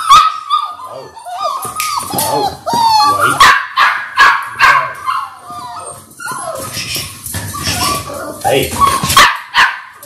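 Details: Six Labrador Retriever puppies in their sixth week, born January 18, 2022, on a live puppy cam: overlapping high whines and yelps with falling squeals and short barks, several pups vocalizing at once, with speech mixed in.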